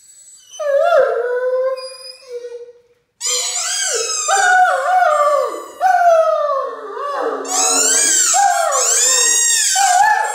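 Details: A Great Dane howls along to the squeaking of his favourite toy, in long, wavering, mid-pitched tones that rise and fall.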